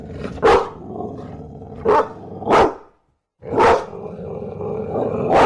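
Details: Bulldog barking in an uneven series of five gruff, harsh barks, some in quick pairs, with a growly rumble running underneath and one short silent gap midway.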